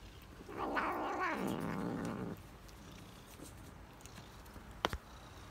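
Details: Tabby cat eating cheese gives a low, rough, growling murmur lasting about two seconds, then falls quiet apart from one sharp click near the end.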